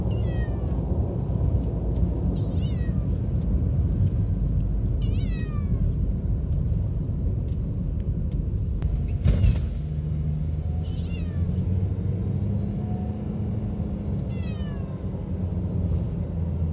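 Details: Pet cat in a car on the drive to the vet, mewing in a hoarse, thin voice "nya... nya..."; about five faint, short, falling meows spaced a few seconds apart over a steady loud engine rumble.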